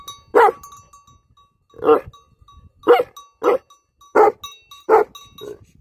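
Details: Livestock guardian dogs give loud, harsh barks, about seven in six seconds, spaced unevenly from under one to over one and a half seconds apart, with a faint steady tone in the background.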